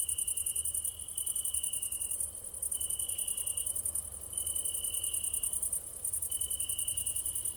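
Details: Crickets chirp in a steady, very high, fast-pulsed trill in the evening, with a lower ringing trill coming in bursts.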